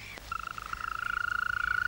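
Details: At night in Estonia, near the northern edge of its range, a male European green toad (Bufo viridis) gives a long, even, purring trill. This is its nighttime mating song, which sounds at full strength only at night.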